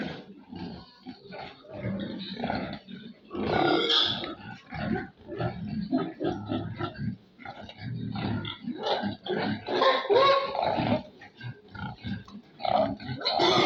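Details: Pigs on a pig farm grunting and snuffling constantly, a dense, irregular stream of short rough grunts from several animals overlapping, with a few louder squeal-like bursts mixed in.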